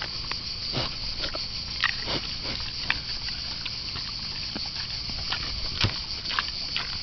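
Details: Wild boar eating bananas outdoors: irregular crunching and smacking chewing clicks, sharp and scattered across the seconds, over a steady low hiss of background noise.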